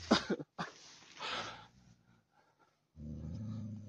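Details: Daniu, a Tibetan Mastiff living on a mine, in hunting mode: rough, noisy bursts give way to a steady, low rumbling growl in the final second.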